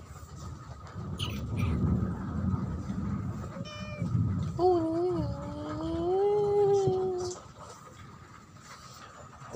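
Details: Domestic cat giving a long drawn-out meow, tonal and wavering, rising then holding steady for about three seconds, preceded by a short softer meow; low rumbling traffic noise underneath.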